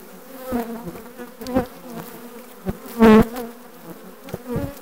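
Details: Buzzing from a requeened honey bee colony, June 2020: a harmonic drone pulses in short swells, with one loud close pass of a single bee about three seconds in amid light tapping.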